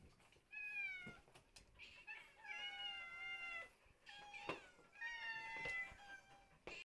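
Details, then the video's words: Shelter cats crying "mama-mama-mama" indoors: four long, tonal meows that sway slightly in pitch, spaced about a second apart, with faint clicks and knocks between them. "Котики кричат мама-мама-мама!"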